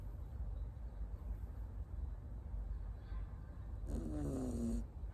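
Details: Lap-napping Miniature Schnauzer puppy Tamago, born 9 October 2021 in Nago, Okinawa, home in Osaka, breathes quietly before one nasal snore that slides downward near the end, over low room rumble.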